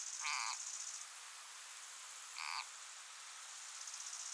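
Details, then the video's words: A frog desperately fighting against being eaten by a grass snake of similar size gives two short, harsh, nasal squeals about two seconds apart, over a steady hiss of background noise. "Dramatic fight for survival of frog against snake"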